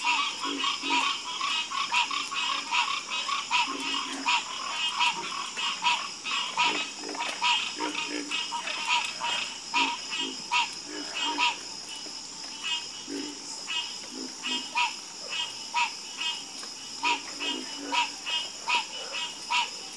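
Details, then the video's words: Dense nighttime frog chorus with many overlapping croaks, rapid clusters of higher notes alternating with scattered low grunts, the rhythm irregular and thickening at times, over a steady high hiss. "FALL ASLEEP FASTER WITH FROGS 🐸 Sleep Like A Baby With The Calming Sound Of Harmonious Frog Croaking"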